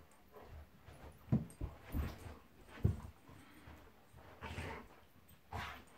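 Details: Monty, a pet Golden Retriever, play fighting with Eric the Labrador; short low grunting growls and snorts come in irregular bursts, some with brief breathy huffs, over scuffling and movement noise indoors.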